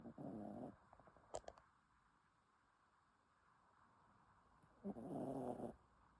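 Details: Dog asleep and snoring: two long, rough, noisy breaths about four seconds apart, each lasting under a second, with a brief faint click between them in a quiet room.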